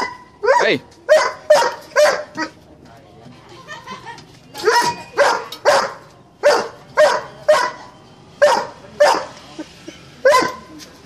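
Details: Doberman giving loud, sharp barks in quick bursts of two or three, separated by a quieter pause with faint voices in the background.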